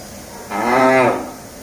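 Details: Hallikar cattle among cows and calves on a farm at Begur, near Hulimavu, Bengaluru: a single rich, harmonic moo of about 0.7 seconds that swells and fades, with quiet background otherwise.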